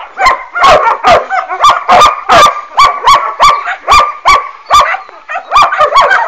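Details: Working-line German Shepherd puppies, children of Boris Solidblack and Tisia de la Senda, bark loudly and steadily. The calls are clipped and nasal, and they repeat about twice a second with little pause.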